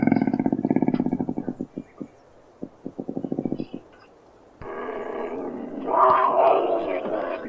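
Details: Real cougar sound: rapid pulsed low grunting that slows and breaks into short runs, then a long harsh hissing snarl swelling louder near the end.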